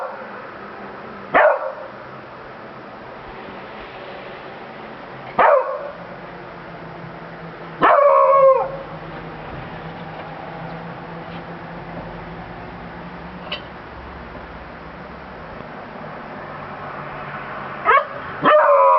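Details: Pet Beagle Bruno giving scattered sharp barks and one longer baying howl near the middle, spaced several seconds apart over a low steady background hum.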